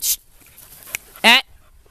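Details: Rescue puppy among several young female Lab, hound and retriever mixes lets out one short, harmonic bark after a quiet stretch; a person's brief speech sound and a click come earlier.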